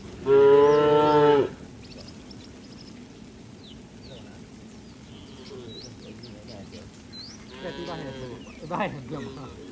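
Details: Tame cattle fleeing rain toward their shed on a sunny day: one short, loud, rich moo at the start, then only faint distant lows and scattered small chirps amid soft background noise.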